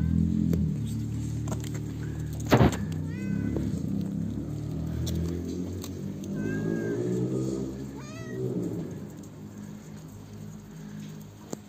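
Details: Stray mother cat and her hungry kitten, both afraid at first, being fed by people. Several drawn-out, bending meows rise and fall near three, five and eight seconds over a steady low rumble and distant voices.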